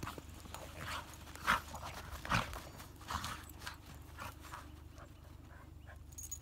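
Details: Hokkaido dog playing with a 13-year-old female dog on its first New Year dog-run visit; two loud gruff barking growls early, then softer huffing sounds fading out against low background noise.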